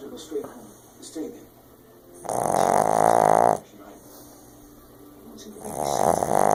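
A Boston Terrier snores in long, loud, rumbling breaths, with quiet gaps and snuffles between them.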